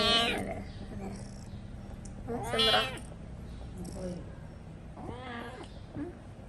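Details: Pet cat screaming in drawn-out, harmonic meowing wails, three loud calls spaced about two seconds apart, with low household hum and quiet background voices.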